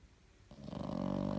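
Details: Pug asleep indoors, snoring: after a quiet start, a low, rough, vibrating snore builds up and continues steadily to the end.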